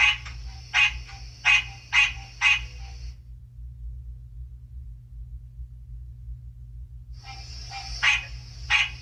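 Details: American green tree frog, a captive young male just starting to call, kept in a reptile room as spring nears, with a frog-call recording played: five quick nasal honks, several seconds of quiet, then more honks with a steady high tone behind.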